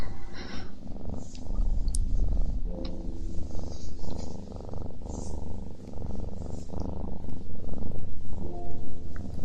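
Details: A pet cat eating and purring at once, a low buzzing purr beating about four times per second, with occasional sharp crunching bites on top.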